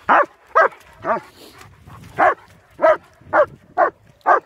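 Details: Barks from German Shepherds Nico and Zeeva during a winter wander near Hawick, Scotland, captured on a Samsung S23 Ultra: about nine punchy, harmonic woofs at an uneven pace, with a short gap midway and faint background noise.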